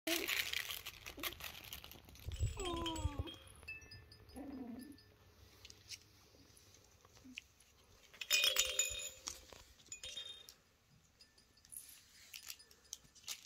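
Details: A four-week-old Kooikerhondje puppy busy exploring gives a short, falling whimper with stacked tones just after two seconds, then a lower brief whine near four seconds. Rustling, crinkling and handling noises fill the rest.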